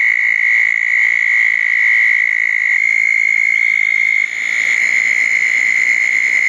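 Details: On a rainy June night in 2014, southern toads gather around two small backyard ponds after a thunderstorm. Continuous high-pitched trilling runs throughout, and a second toad's trill takes over partway.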